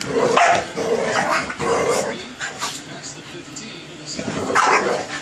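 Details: A 25 lb Boston Terrier and a 110 lb lab/pit mix wrestling in play: gruff barks and growls come in quick bursts over the first two seconds and again near the end, over a human voice.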